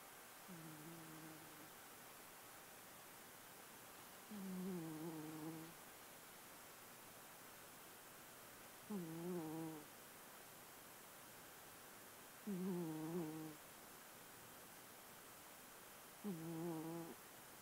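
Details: Domestic cat named Murry snoring, five soft nasal snores spaced about every four seconds, each with a layered, slightly wavering tone, over a steady faint background hiss.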